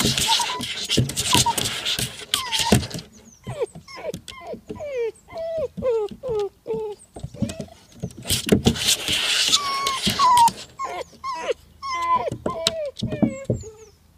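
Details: Nine-week-old Vizsla puppy, obsessed with climbing a slide it cannot get up, making rapid series of short rising and falling whimpers and yelps between bursts of scrabbling noise.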